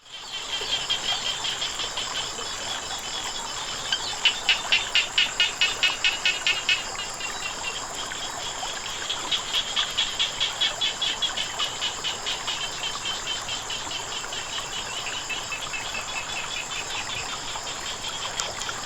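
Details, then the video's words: Frogs calling beside flowing water: bursts of rapid, evenly spaced high clicks that run for a few seconds and then pause, over a steady high insect-like hiss and a constant background wash. "เสียงน้ำไหล กบเขียดร้อง"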